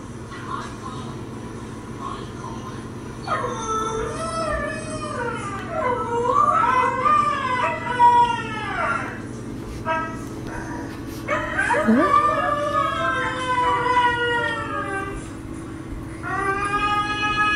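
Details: Pet dogs Denali and Echo answer recorded voices of the dogs Mishka and Laika: wavering, slurred howls gliding up and down in several overlapping lines, with brief gaps and a steady low hum beneath.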